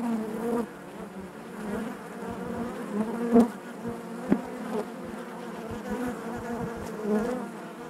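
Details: Honey bees inside their hive, a steady low hum of many wings with a rich band of overtones, swelling and dipping slightly, with a few faint clicks and knocks standing out above the drone.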